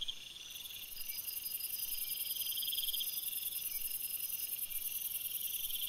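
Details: Crickets at night in a forest: dense, steady high-pitched trilling in several layered pitches, with a shrill upper buzz starting after half a second and a pulsed chirping band swelling gently throughout; no other clear sounds.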